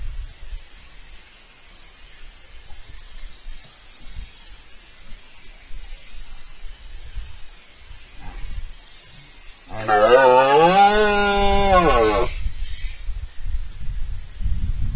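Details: Rutting red deer in Spain, filmed bellowing before the camera on 19 September 2024. After a quiet spell, one powerful, throaty roar of about two and a half seconds wavers in pitch. Soft low background noise follows.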